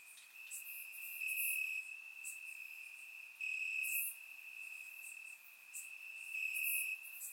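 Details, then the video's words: Night chorus of crickets in Bulgarian grass on a warm summer evening: a continuous shrill trill that grows louder in a few longer pulses, with faint higher chirps from other insects around. "Cricket Sounds - Crickets Chirping at Night"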